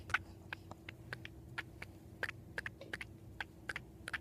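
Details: Female pet cat indoors, thought to be dreaming of squirrels, making the odd noise she otherwise uses when 'talking' to squirrels at the window: sharp, dry clicking chatters repeated irregularly two to three times a second over a steady low hum.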